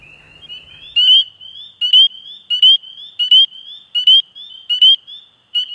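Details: Spring peepers in Canada give high, clear upslurred peeps, repeated roughly every second over a shrill background chorus.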